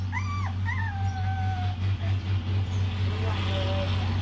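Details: Puppies crying: high, wavering whines that rise and fall over the first second and a half, then fainter whimpers, over a steady low hum.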